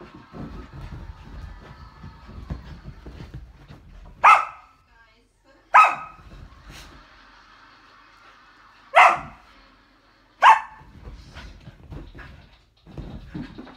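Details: Samoyed puppy, a seven-month-old female, barking indoors during a burst of zoomies: four loud, sharp single barks with bright harmonics, spaced about one to three seconds apart, with faint scuffling and room noise between them.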